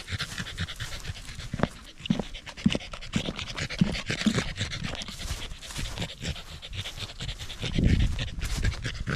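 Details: Panting corgi on a sunny autumn satoyama hike in Japan, before the leaves turned, with views of the central Alps and Ina Valley. Quick airy breaths repeat steadily, with scattered rustling and footstep thumps.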